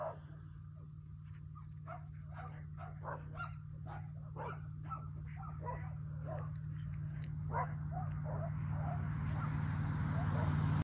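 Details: Three coyotes playing or fighting nearby, a rapid run of short yips and squeals about three per second, fading as a rising rushing noise and low hum take over.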